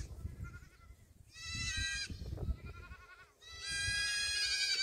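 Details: Young black goats at a farm in Gimhae, South Korea, filmed 8 July 2022 during a burst of running: two loud, quavering, drawn-out bleats a couple of seconds apart, with softer bleating and low trampling noise between them.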